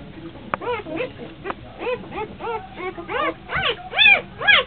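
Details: Kuvasz litter only three days old, beside their champion mother Brenda, on April 28, 2009: thin, rising-and-falling whines come in rapid overlapping bursts, quiet at first, then growing louder and higher toward the end, with a few soft clicks.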